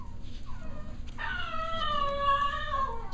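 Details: Six-week-old Cavalier King Charles Spaniel puppies at playtime. One long, drawn-out whining howl, steady then slightly falling, lasting about two seconds, after a short faint whimper; low background rumble.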